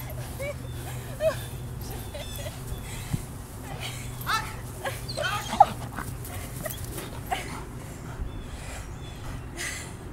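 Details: Belgian Malinois at the ik9s dog training facility, taking a bite on a girl in a bite suit; thin whimpers and sharp yips recur through a low hum, with people talking nearby.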